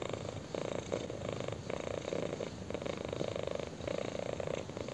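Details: Purring kitten enjoying a chin scratch: an even, vibrating drone pulsing in short regular waves, near and steady throughout, no other sounds apart from faint rubbing.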